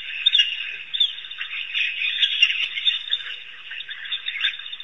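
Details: High, bird-like twittering from African wild dogs gathered at Pete's Pond in Africa, a dense chorus of thin squeals and chirps rising and falling in loudness.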